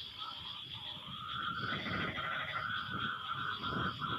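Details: Frogs in a chorus after rain: a dense trilling band of overlapping callers answering one another, steady high insect-like whine above, with low rumbling noise beneath.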